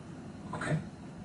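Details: Sara, a Toy Poodle puppy about three months old, born November 2014, vocalizing while playing with other poodles indoors: one brief, bright yelp lasting about a third of a second over a steady low background hum.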